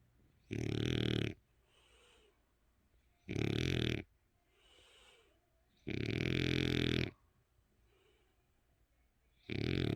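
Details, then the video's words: Dali, an eight-year-old French Bulldog asleep with eyes open, produces loud rasping grunting snores about every two and a half seconds, one drawn out longer, with faint snuffling exhales in the gaps. "프렌치불독 코골이"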